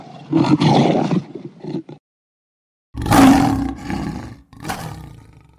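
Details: Lion roar in rough, breathy bursts: a long grating roar, a silent gap, then a louder harsh roar trailing into a shorter one.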